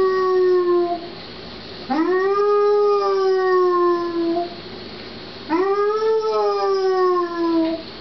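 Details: A female Basset Hound gives long, mournful howls that rise quickly, then hold and slowly fall, after her owner left the house.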